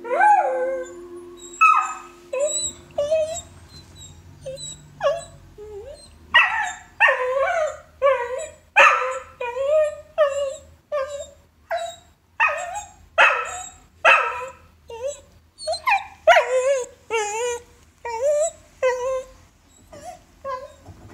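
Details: Pet dog howling during the opening of the film Three Billboards Outside Ebbing Missouri, a series of wavering, yodelling howls and whimpers repeated roughly every second, rising and falling in pitch, with faint low movie sound beneath.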